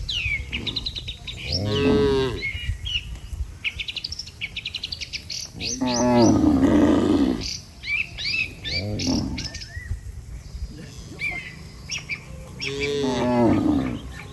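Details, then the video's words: Dozens of tame cattle returning together to their barn after a day in open pasture: four long moos, one broad and rough, spaced through the stretch, with steady bird chirping and low background rumble. "Suara sapi Moo"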